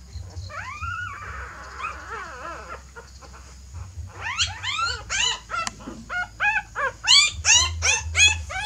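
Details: Mother dog shifting her puppies to a fresh nest: a long rising whine, wavering quieter whimpers, then a rapid series of high, arched yelps, nearly three per second and growing louder, over a low hum.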